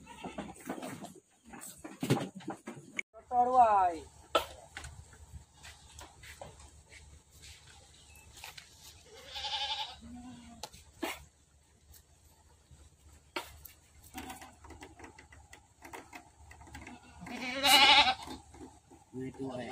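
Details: Farm goats give quavering bleats at intervals, one early, one midway and a loud shaky final cry, over a quiet background with knocks, rustling and occasional human voices.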